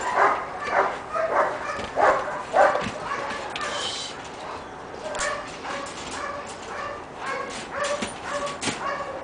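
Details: Shiva, a six-month-old pepper and salt Giant Schnauzer puppy, gives a quick run of short, bright yips roughly every half second for three seconds, then settles into softer, drawn-out whining tones repeated at a steadier pace.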